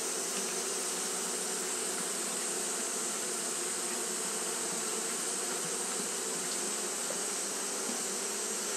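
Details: Japanese honey bees fanning throughout a hot day: a smooth, continuous wing drone, low hum bands steady from start to end, with a persistent high-pitched hiss overhead.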